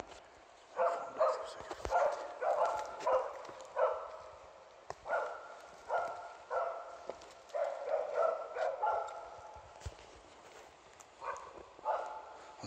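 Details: Catahoula Leopard Dog working a heifer in Broby, Sweden, holding it at bay while it stands in water; rapid harsh barks in bursts roughly every second, with short pauses between volleys and steady background noise.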